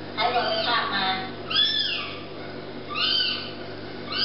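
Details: Kittens mewing: an arched, high-pitched call at about one and a half seconds, another around three seconds, and a third starting at the end, with softer mews and a faint hum underneath.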